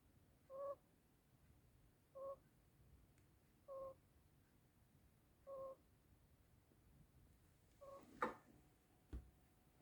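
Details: Sleeping African pygmy hedgehog kept as a pet snores in a small room, giving brief nasal squeaks at a steady pace of roughly one every 1.6 seconds, then a soft rustle and a click near the end.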